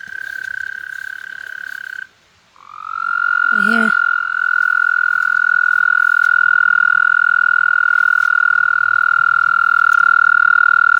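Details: Toads trying to mate: one high, pulsed trill breaks off after two seconds, then a new trill starts at a slightly lower pitch and runs steadily on, with a man's short remark overlapping.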